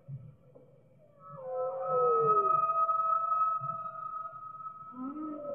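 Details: Whale song with clear tonal cries: a falling, whistled moan, then a long steady higher tone, ending in a short rising-falling swoop over soft low pulsing.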